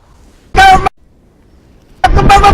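A desert rain frog gives two shrill, toy-like squeaks, its angry war cry.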